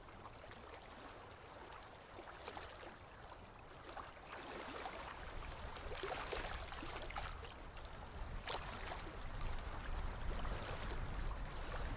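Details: Splashing, gurgling water with low rumbling noise throughout and no clear animal calls.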